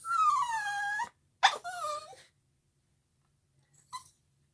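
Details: A puppy singing to violin playing gives a falling, moaning howl, then a shorter wavering wail and a brief yip at the end.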